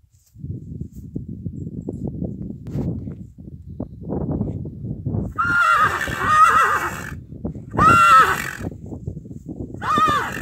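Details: A mare pestering and courting a stallion: low, rumbling snorts and nickers for about five seconds, then three loud, harsh, high squealing neighs with strong overtones, each under two seconds long.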